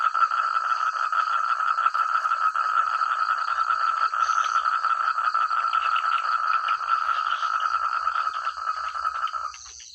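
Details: Many frogs calling together in rice fields in the countryside, a dense, loud chorus of rapid overlapping croaks pulsing several times a second, a thin high steady whine above, and the whole chorus fading out in the last half-second.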